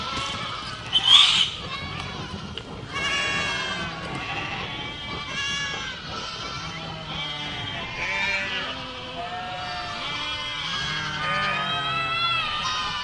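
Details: Herd of goats giving a busy chorus of overlapping nasal bleats, some high and wavering, others lower and shorter, with a brief sharp noise near the start.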